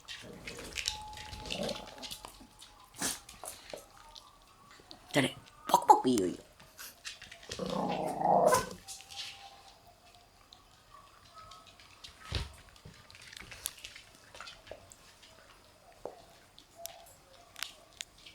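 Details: Black Shiba Inu puppies, including March-born newcomers, together in an indoor puppy room; brief raspy growling and yelping bursts near the middle, a thin whine early on, with human speech and handling noises throughout.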